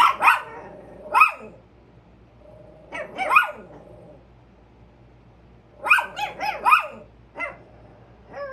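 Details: Barking Chihuahua: sharp, high barks in uneven bursts, pairs and quick clusters separated by pauses of one to two seconds, with a few softer yips between them.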